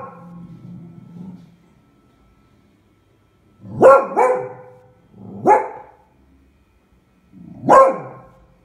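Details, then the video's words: Beagle Eva, alarmed by a pram she treats as a fearsome beast, lets out three harsh barks about two seconds apart after a faint low grumble at the start; recorded February 20, 2016. "Beagle Eva. She thought that the pram - a terrible beast :)"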